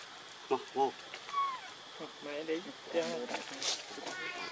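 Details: Baby monkey Lucie, hungry and foaming at the mouth, cries for milk: short harmonic squeals, some rising then falling, repeated in quick bursts with brief pauses, over a faint steady background hiss.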